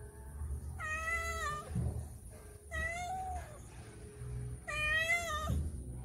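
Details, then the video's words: Cats at home asking for food in the morning, hungry: three drawn-out, tonal meows with a slight wavering bend, about a second each and separated by short pauses, with soft low rumbling and faint rustles between calls. "My Cats Meowing when They're Hungry"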